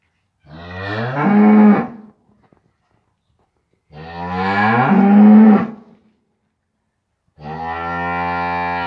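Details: Cattle mooing around a just-born calf standing up for the first time: three loud, drawn-out harmonic moos, each about one and a half seconds long, separated by silent gaps of roughly two seconds.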